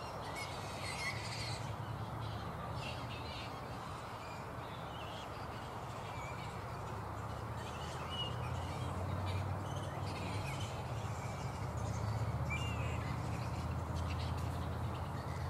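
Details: Black flying foxes (Pteropus alecto) at a roost in mid-morning, not yet settled for the day: scattered harsh, high squawks over a steady low rumbling background noise.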